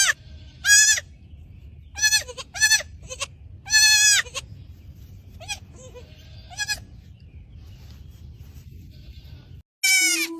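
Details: ['A young goat kid bleats again and again in short, quavering, high-pitched bursts. The cries are spaced about a second or two apart and end with a louder final cry.']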